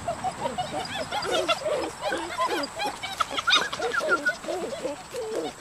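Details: Several Dutch Shepherd puppies, four males and three females born July 18, 2013, play as a group; a busy chorus of short, high, chirping squeals and whimpers overlaps continuously, with faint talk behind.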